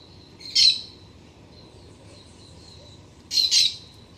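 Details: Black-tufted marmoset (Callithrix penicillata), sagui-de-tufo-preto, visiting a garden on an autumn morning when sunlight reaches the trunk of a Citharexylum myrianthum tree; two short, sharp, high-pitched bursts about three seconds apart over a faint steady high hum.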